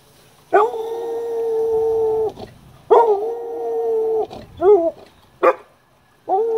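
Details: Eleven-year-old dog 'singing', with a second dog aged seventeen in the room: steady, sustained harmonic howls about one and a half seconds long, separated by short breaks, followed by brief wavering yelps and another rising howl.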